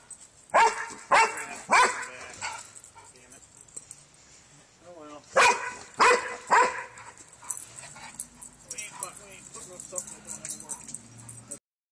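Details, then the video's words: Dobermann bitch agitated by Santa: a run of five rapid, harsh barks, softer whines and voices, then a second volley of three barks, followed by murmured speech. "Doberman freaking out on santa"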